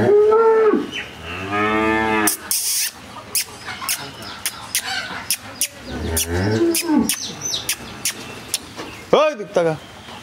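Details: A Jersey cow in Bangladesh that has calved for the second time and has a bull calf. She gives a harmonic moo at the start, then a second drawn-out moo, with people talking and sharp clicks and knocks in between.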